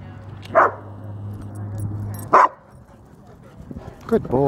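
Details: Dog park play between a female German Shepherd, a male Doberman and a male Great Dane; two single gruff barks about two seconds apart and a softer yip at the end, over a low steady hum.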